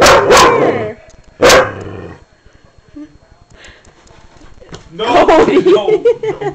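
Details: Recently adopted shelter dog confronting its reflection in a mirror for the first time, indoors at night: two separate loud, rough barks about a second apart, then a pause and a person talking soothingly to the dog.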